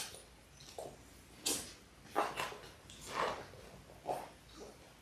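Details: Six-week-old Labrador Retriever puppies from a litter of six born January 18, 2022, on a live puppy cam on February 28; short, scattered yips and whimpers about once a second, indoors, with soft background noise.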